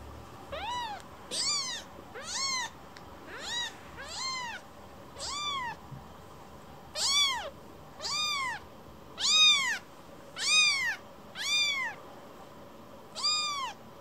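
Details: Rescued baby kitten seeking affection, returning to be petted after leaving its carer; a steady run of about a dozen rising-then-falling bright meows, roughly one per second, loud and harmonic over a quiet indoor background.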